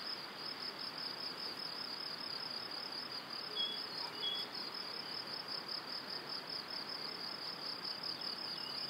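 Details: Crickets chirp in a steady, high, pulsing trill on a spring evening near a cereal field and pine forest in Powidz Landscape Park, Wylatkowo, with a couple of brief faint bird whistles.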